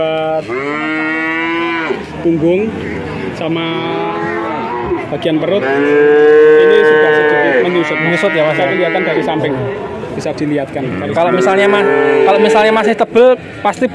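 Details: Several male calves among a group of nineteen in Grabag, Magelang, Indonesia, mooing one over another: a run of overlapping bellows, some rising and some falling, with short gaps and knocking noises between them.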